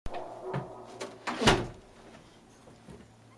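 Indoor knocks and thuds, like a cupboard or door closing, with no animal voice heard.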